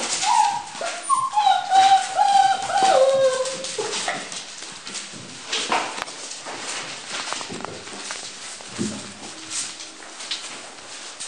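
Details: Five-week-old Dutch Shepherd puppies at play, giving high, wavering whimpers and short yelps in the first four seconds, then scuffling and rustling noises with a few faint squeaks.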